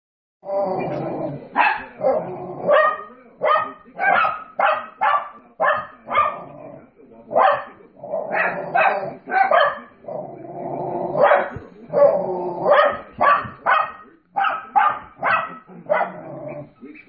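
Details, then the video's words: Two little dogs bark hilariously at a bunch of dogs on a television screen. Sharp, mid-pitched barks come in quick, uneven bursts of two to four, roughly two per second, with brief pauses between volleys. "Puppies bark at other dogs on TV"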